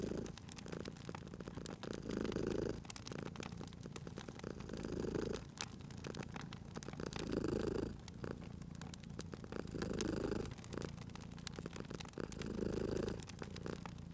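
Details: Domestic cat asleep by a crackling fireplace, purring steadily: a rhythmic rumble that swells roughly every two and a half seconds, each breath cycle clear, with fire snaps and sharp crackles scattered throughout.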